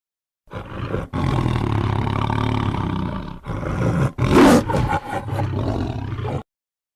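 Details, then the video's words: Tiger giving long, deep, rumbling roars in three sustained bursts, the middle one rising into a harsher, louder growl before fading. "Tiger Sounds"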